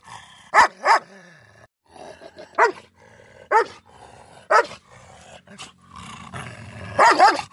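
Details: Miniature Schnauzer in a fight with a German Shepherd, giving a quick double bark followed by single sharp barks at irregular gaps, with low growling in between and a closing pair of loud yaps.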